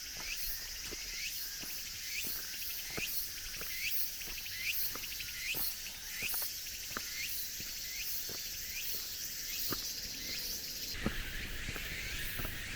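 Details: Late-summer cicadas on a cool mountain forest road: continuous high shrilling plus short rising chirps repeated about every second, footsteps crunching on gravel, and a louder rustle near the end.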